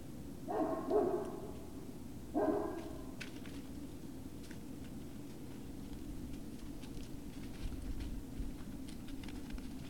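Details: Great Dane puppies, Puppy Hill, February 19, 2019, evening: a pair of quick harmonic yelps early on, then a short single cry, followed by several seconds of quiet room hum with faint rustling.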